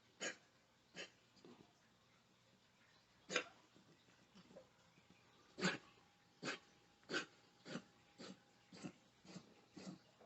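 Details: Muzzled pet dog during an anxiety attack, which happens at random times and sounds like gagging without vomiting. A vet notes the muzzle affects its snoring and breathing. Short, rough, snorting gasps come at irregular intervals of about half a second to two seconds in a quiet indoor room.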